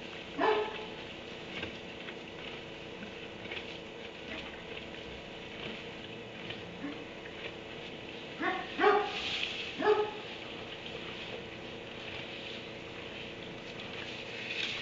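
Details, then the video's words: Kenneled dog in a barn barking at 3am. One bark opens the recording, then a long pause, then a quick cluster of three barks, with low constant noise throughout. "Barn 3am barking dog in kennel"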